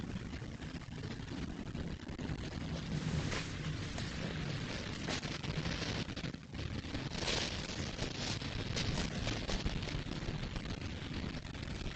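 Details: Steady broadband rumbling and hissing noise, like wind on the microphone, with no animal calls heard.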